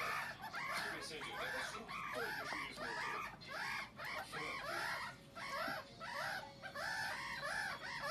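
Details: One-month-old meerkat pups playing together in Moscow, Russia, on May 14, 2018, chatter with rapid arched chirps and squeaks, several voices overlapping.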